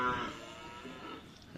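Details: Bull in training for karapan sapi racing at Asemanis field, Pamekasan: a single drawn-out low moo with layered harmonics lasting over a second, fading out, followed by a brief noisy burst at the end.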